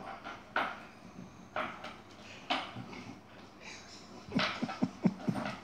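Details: A fight between Yogi the Chihuahua and an Airedale: soft, spaced yelps and whines early on, then a quick run of short, deeper grunting barks near the end.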